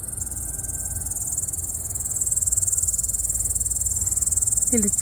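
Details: Summer cottage cricket in the second half of August, a shrill rapidly pulsed trill running without pause, growing slightly louder midway, with a brief human voice breaking in at the very end.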